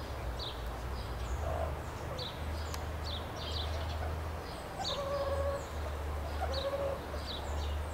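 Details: Meerkats at Rostock Zoo, Germany, chirping and calling: short, high, sharp chirps repeated in loose bursts throughout, with a couple of lower, steady tonal notes near the end, over a constant low mechanical hum.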